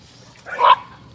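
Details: Patterdale Terrier puppies working rats in a puppy pen, a young litter trained most days; one short, bright tonal yip rises and fades within half a second over a steady low electrical hum.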